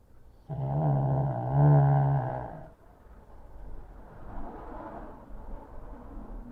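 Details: Sleeping pug wedged behind a pillow on his favorite chair, July 2023, letting out a long, loud, growl-like snore of about two seconds, deep and harmonic, followed by softer, raspy breathing.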